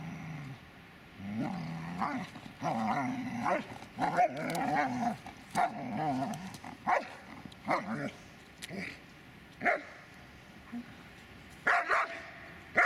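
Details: Dobermann Magmar Von Der Burgstätte, growling that breaks into loud wavering barks, then single sharp barks spaced a second or two apart.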